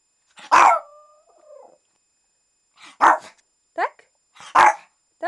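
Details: Shih Tzu named Tofik, asked whether he is going for a walk, gives three sharp barks about 1.5 seconds apart, with short yelping whines between them, indoors.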